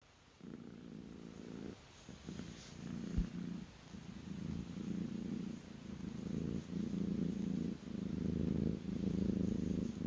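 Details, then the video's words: Kitten purring while resting on its owner's lap, a soft low rumble that starts after a brief silence and swells and dips in breathing cycles about once a second, growing slightly louder toward the end. "kitten purring on my lap"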